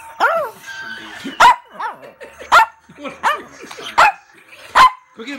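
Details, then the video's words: Pet Chihuahua female talking back amid a person's speech about treats: short sharp barks come at uneven intervals, mixed with the owner's talking. "Chihuahua Baby Girl Talking Back"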